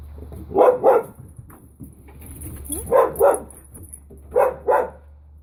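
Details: Finn and puppy Holly playing together at Pawsitive dog daycare: sharp barks come in quick doubled pairs, three pairs spaced roughly one and a half seconds apart, with a faint high hiss in the background.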